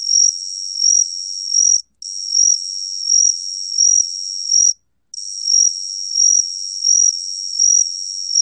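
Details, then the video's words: Gaksi cricket singing in 2020: a continuous high buzzing trill that pulses louder roughly every 0.7 seconds, interrupted by two brief pauses. Nothing else is audible. "각시귀뚜라미, 여러번 듣기, 곤충소리"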